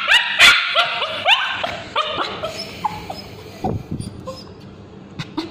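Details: A male Bichon Frise with scabies screams in high, rapid, wavering yelps of distress while ointment is applied to his tail.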